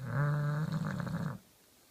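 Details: Pet Bulldog Kenta deep asleep, giving a single loud snore: a low, vibrating, rattling rumble held for over a second before fading into silence.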